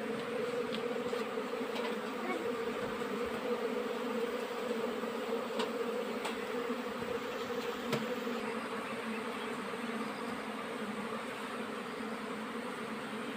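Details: Many honey bees foraging during the summer nectar flow, an even, unbroken low buzzing drone with rich overtones, holding level across the whole stretch.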